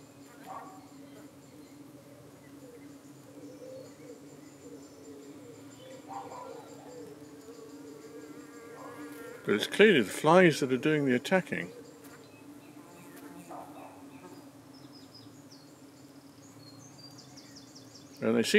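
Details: Honey bees at a UK hive in the evening, defending themselves as flies dart in and try to settle on their abdomens: a steady low hum with a higher overtone, broken midway by a loud crackling burst and another sharp burst at the end.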